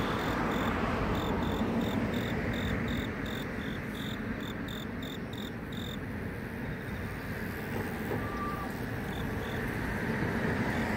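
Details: Grass insect chirping in the city: short, even pulsed chirps repeated roughly twice a second for about six seconds, then fading out, over a steady heavy rumble of road traffic, with a brief thin tonal whine near the end.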